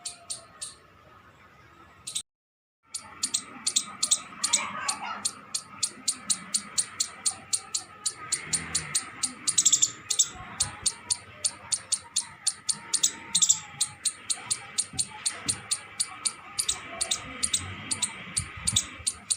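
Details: Squirrel giving sharp, high chip notes in a steady run of about two to three per second, after a brief silent gap near the start, over a faint background hum.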